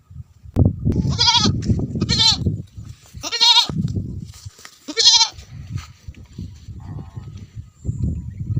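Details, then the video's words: Goats and sheep calling after rain in Tharparkar, Thar: four strong wavering bleats, each about half a second long, rise over a steady low rumble, with a fainter softer call near the end. "ٿر ۾ برسات کانپوء ٻڪرين جي پياري ٻولي || Goat sound after rain in Thar"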